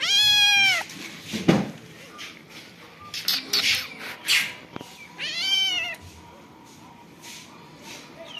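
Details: Domestic cat with kittens: a short meow at the start and another arched, slightly rising-then-falling meow later on, separated by scattered knocks, rustles and noisy bursts of household sound.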